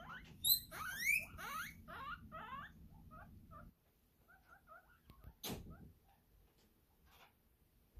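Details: Pet guinea pigs reacting to the hay truck with loud, high rising squeals in quick succession for under four seconds, then softer scattered chirps and a brief rustling burst.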